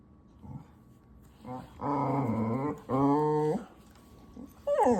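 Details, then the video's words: Domestic dog giving two long, wavering groan-like growls, the second slightly higher, followed by a short rising whine at the end. "Doggos making weird animal sounds!!"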